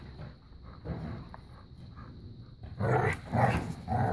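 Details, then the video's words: A new puppy plays keep-away and tug of war with an adult black lab pit bull mix; soft low growls early, then louder rough growling bursts near the end with scuffling. "playing keep away and tug of war"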